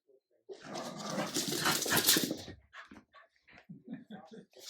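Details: A French bulldog puppy keeps annoying an adult Jack Russell terrier, which puts it in its place; a loud harsh growling scuffle lasting about two seconds, then a string of short yelps and whimpers.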